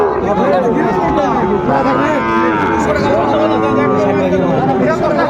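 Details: At a Chattogram cattle market in January 2025 with Sahiwal bull calves, overlapping deep moos from several animals carry over a dense background of people talking.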